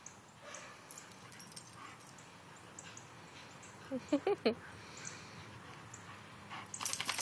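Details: Dogs Diamond, Clover and Scarlet playing with Bo, a visiting male boxer. A short burst of three or four quick, tonal yips in the middle breaks the low background rustle, with a scratchy noise near the end.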